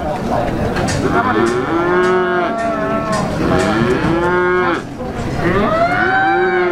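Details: Calves at the Plaosan cattle market in Magetan, East Java, Indonesia, mooing repeatedly in drawn-out, wavering low calls, several overlapping, amid a steady din of market crowd noise.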